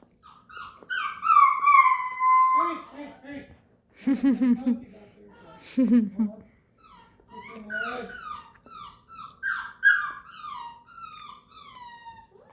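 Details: Beagle; whining; overtired puppy fussing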